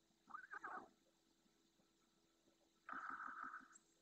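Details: Nighttime red deer calls from two hinds with seven calves in the Doñana National Park marsh, Spain: two nasal, mid-pitched bleats about two and a half seconds apart, the second steadier and longer, over quiet background hiss.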